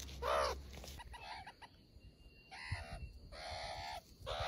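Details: A pet meerkat gives short, reedy, nasal, harmonic squawks with a slightly wavering, crow-like tone. The calls run about half a second each in irregular runs, with brief quiet gaps and faint background rustling.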